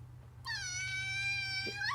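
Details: {'caption': 'Kitten indoors meowing to beg for human food such as roasted chicken: one long, steady, tonal meow lasting about one and a half seconds, ending in a brief rising upturn, over a low steady hum.'}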